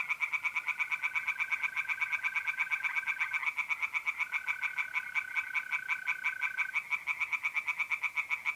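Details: On a mid-April night at a pond in north-east Italy, singing tree frogs give a fast, rattling series of pulsed croaks, nearly three per second, while trilling mole crickets hold a long continuous buzzing tone through most of the clip.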